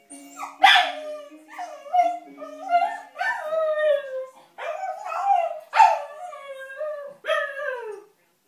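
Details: A female Cocker Spaniel puppy howls along to a baby's toy piano, apparently unhappy with the music, her voice sliding up and falling in long wavering notes.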